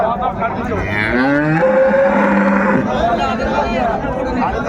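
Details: Dairy cows and calves of an improved breed at Raniganj cattle market in Dinajpur, 21 January 2025; a long low moo with rising and falling harmonics over dense crowd chatter and traders' talk.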